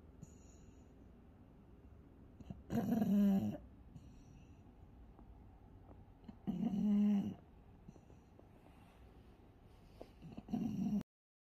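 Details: A pug, tagged with pug encephalitis, snores in loud, raspy bursts that come roughly every four seconds.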